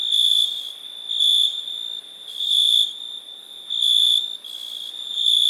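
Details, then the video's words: Continuous shrill cricket trill, high and even, rising in loudness in bursts about every second and a half, then easing back between them. "Cricket sound"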